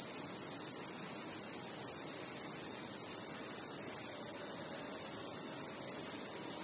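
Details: Crickets chirping at night, a dense, unbroken high-pitched shimmering trill from many insects holding steady at even loudness throughout, with no other clear sounds.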